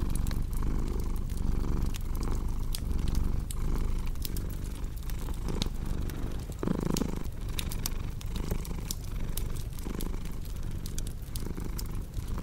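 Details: Domestic cat purring beside a crackling fireplace, a steady low rumble swelling and easing with each breath, joined by sharp scattered pops and crackles from the fire throughout.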